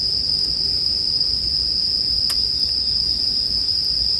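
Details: Steady bell cricket ringing, high and constant, with a single sharp crackle from a bonfire near the middle, intended as calming sleep background sound.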